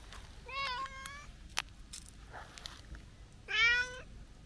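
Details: Talkative brown-tabby-and-white stray cat greeted outdoors on a New Year visit, giving two clear meows: a rising, wavering meow with rich harmonics, then after a pause a louder, shorter meow; faint background noise.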